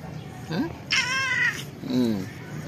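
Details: Old hungry domestic cat meowing after being fed: a short chirp, then a loud, drawn-out harmonic meow, and finally a lower, shorter meow, over steady background hum.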